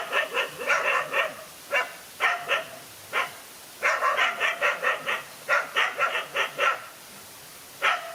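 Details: During a fight, one dog faces two male dogs. Bursts of quick, rasping barks are broken by short gaps, partly overlapping as though more than one dog is calling.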